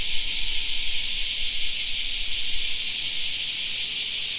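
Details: In a park during summer, cicadas produce a steady, sizzling high drone without breaks, joined by a light low-pitched background hum.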